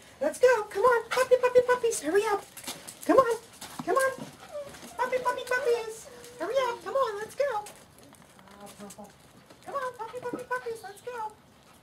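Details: Seven-week-old puppies of a litter during an afternoon indoors, giving a run of high, wavering whimpers and whines in clustered bursts with short pauses, while a person keeps calling and coaxing them along over the top.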